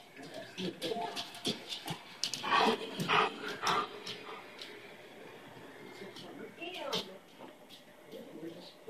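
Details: Pet half Labrador, half Great Pyrenees dog, joined by a purebred Great Pyrenees, excitedly reacting indoors to doorbells on a TV game show: loud broadband barks around the middle, whimpers and panting, with a woman's encouraging speech.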